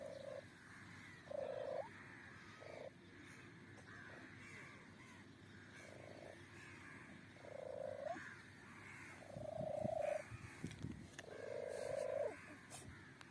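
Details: A kitten making strange noises: a long series of flat, even-pitched mews with irregular gaps, growing louder and longer toward the end, with faint rustling and handling sounds.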